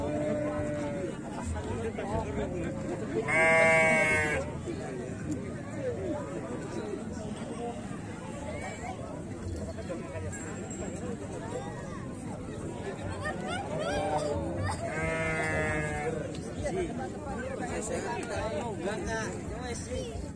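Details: Sheep entered in the exotic category at a 2021 sheep festival in Brebes Regency, Indonesia: two loud, harsh bleats about eleven seconds apart, over steady crowd chatter and men talking.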